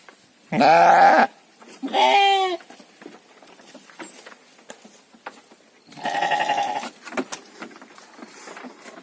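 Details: Three wavering bleats from farmed sheep kept for three-month fattening in Indonesia: two close together in the first two and a half seconds, a longer quavering one near six seconds, with soft rustling and clicks between.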